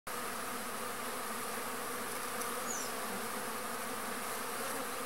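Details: Arapuá, a stingless native bee (Trigona spinipes), foraging on a pumpkin flower as a pollinator; a steady, even buzzing hum runs throughout, with one brief high bird chirp near the middle.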